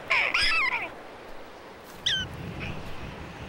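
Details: A prairie dog in its town, after a red-tailed hawk passes, does its jump call: a burst of shrill, wavering yips, then one sharp squeak, signalling it is safe to come out.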